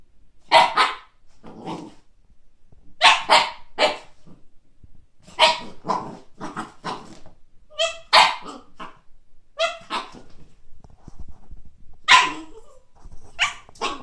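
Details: Kake, a Siberian Husky pup encountering a frisbee for the first time, barks repeatedly in loud, sharp bursts, often doubled, with a brief higher whiny yelp midway and short quiet gaps.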